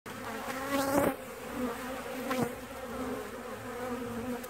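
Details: Western honey bees buzzing around a damaged hive on a trailer due to be torn down, the hive shot with a shotgun a week earlier; a steady droning hum with harmonic bands, swelling with two louder passes of nearby bees.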